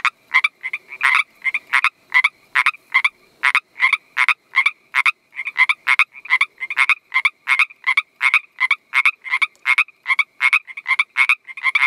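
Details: Mating call of a Northern Pacific treefrog: a fast, steady series of short raspy two-part croaks, about two or three each second, loud and continuous for the whole stretch with a clean quiet background.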